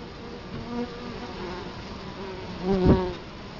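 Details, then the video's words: Italian honey bees buzzing at a hive entrance in Colorado Springs, October 2011, recorded up close; a continuous drone of the colony with single bees flying past, one loud close fly-by near the end. "Bee hive Entrance"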